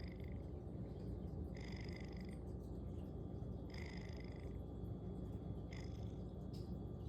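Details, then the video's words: Loud snores from a sleepy pet cat: a continuous deep rumble underlies three distinct raspy, nasal breath bursts spaced roughly two seconds apart, each lasting under a second, in a quiet room. "Snoring Cat"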